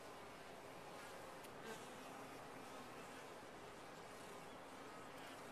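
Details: Honey bees inside a top-bar hive, a steady dense buzzing hum filling the whole recording with no breaks, a few faint brief clicks near the middle.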